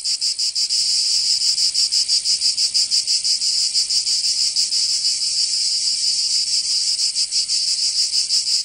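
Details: Cicadas in the summer heat of Provence, in the south of France, keep up a harsh, high, sizzling drone, beating in fast pulses a little under three per second, slightly uneven, nothing else audible.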